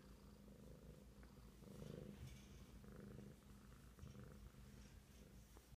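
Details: Steady low purring from the big kitten Rockford, a throbbing rumble that swells slightly around the middle before settling back.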